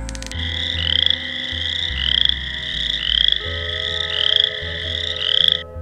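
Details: Male boreal chorus frog (Pseudacris maculata) gives its mating call, a rapid creaking trill like a finger raked hard along a comb, to attract females; an early spring breeder.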